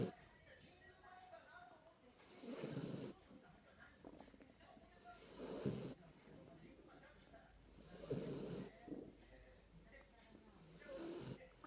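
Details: Sleeping Jack Russell Terrier named Kinako gives rhythmic snores, four hoarse, noisy breaths spaced roughly three seconds apart, each building to a gritty rattle and then dropping back to soft, even breathing.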